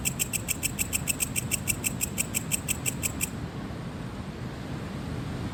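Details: A cricket gives a fast run of high, evenly spaced chirping pulses, then stops against a low rumble, possibly ocean waves; finding: cricket.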